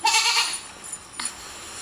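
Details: Goat calling with one short, bright, nasal bleat at the very start, lasting about half a second, followed by a faint brief sound and quiet.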